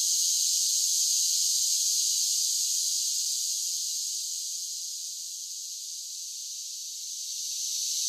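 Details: Cicadas in summer produce an unbroken high buzzing drone. It starts loud, softens gradually around the middle, then swells again toward the end, with no other sounds present.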